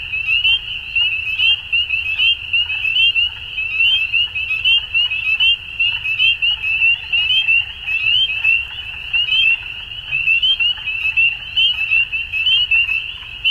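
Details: Many frogs calling together at dusk in a continuous high, buzzy, pulsed chorus, with scattered short clicking notes above and a low background hum.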